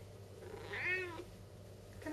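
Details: Talking Siamese cat Saskia, refusing to give back her hat, answers with a single arched meow midway through, rising then falling, clear and tonal over faint indoor hum, with a soft chirp near the end.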